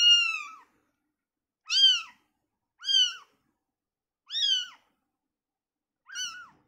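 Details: Newborn kitten removed from its mother mewing repeatedly: five high, slightly falling cries with strong harmonics, roughly every one to one and a half seconds, clean and quiet in between.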